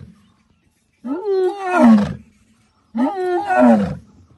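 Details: A lion gives two long, moaning calls that swell, rise and then sag downward, recorded on safari.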